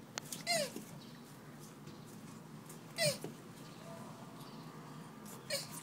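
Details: Hermann's tortoise in breeding season in Taiwan: three short, squeaky, downward-sliding calls, each with bright overtones, spaced about two and a half seconds apart over a quiet background.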